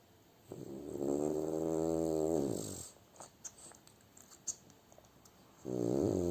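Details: Sleeping French Bulldog snoring indoors: a long, rasping, harmonic snore lasting about two seconds, a quiet pause with faint soft clicks and rustles, then the next loud snore beginning.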